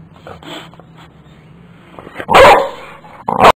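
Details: A one-year-old boxer in a yard reacts to a caterpillar. Soft snuffling and whines build to a loud, sharp bark, followed quickly by a shorter second bark.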